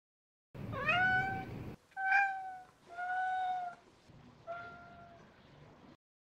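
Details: Ragdoll cat Merlin, eager for his meal, asks for food with four drawn-out tonal meows, the first rising then bending down, later ones steady and fading, spaced about a second apart in a quiet room.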